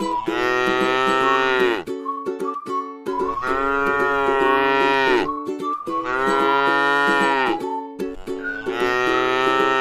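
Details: Tame cow eating grass in a rice field gives three long, drawn-out moos of about two seconds each, rich and harmonic, with brief higher tonal notes in the pauses between them.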